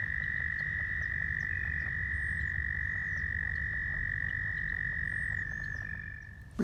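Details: Chorus of very loud male American toads calling to attract females at a pond, one long sustained high trill dominating, faint squeaky leopard frog calls behind, ending with a sudden loud thump.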